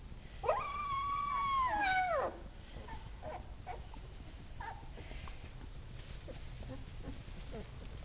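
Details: Two-week-old puppy picked up and yawning gives one drawn-out, nasal whine that rises quickly, holds level, then drops away, followed by quiet room noise and faint soft squeaks.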